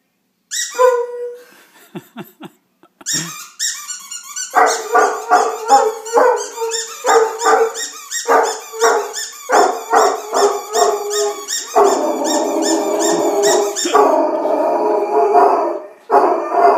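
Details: Irish Wolfhound howling at a toy: a brief early yelp, then fast rhythmic toy squeaking mixed with short rising dog cries, ending in a sustained, steady howl lasting several seconds before a final squeak.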